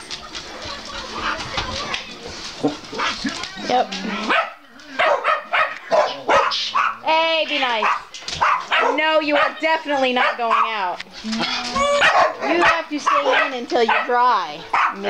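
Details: Several pet dogs, among them Jeb, Oliver, Scotty, Elvis, Chase, Gypsy and Brittany, getting loud at home: a dense run of barks and yips, then long wavering whines, over a person talking and background music.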